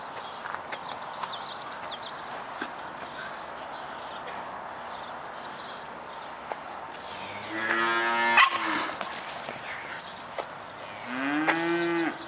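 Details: Cow mooing twice, each a harmonic, roughly one-second low call that falls away at the end, spaced about four seconds apart, over steady background hiss with faint high chirping early on.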